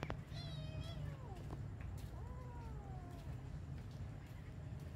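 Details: Cat uttering two meows in quick succession. The first starts high and slides down. The second rises briefly and then falls away. Constant low background hum.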